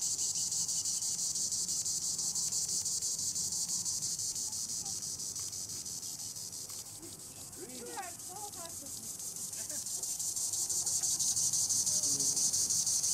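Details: Treetop song of a green annual cicada, Tibicen linnei: a high rasping buzz with steady pulsing that fades slightly midway, then swells back up, while a few brief chirps from other animals break in around eight seconds.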